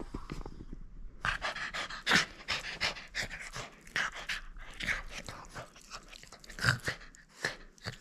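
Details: French Bulldog playing and refusing to give up its toy, breathing in quick, rough, noisy pants and snorts in irregular bursts, louder near the middle and toward the end.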